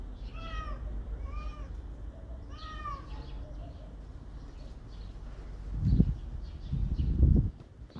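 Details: Domestic cat meowing three times in the first three seconds, each a clear arched harmonic call, followed by low thumping bumps near the end over steady background hum.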